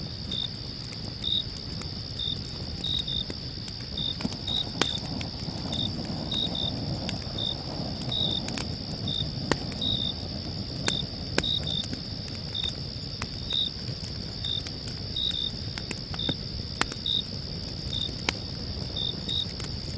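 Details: Night crickets at a campsite give a continuous shrill drone, dotted with brief high chirps every half second or so. Crackling fire snaps cut through now and then over a low, muffled background rumble.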